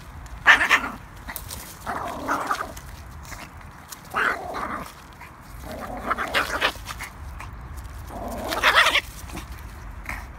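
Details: Playing with sticks, the Yorkie Peanut makes rough, grumbling growl-barks in five or six drawn-out bursts about every two seconds, noisy and breathy.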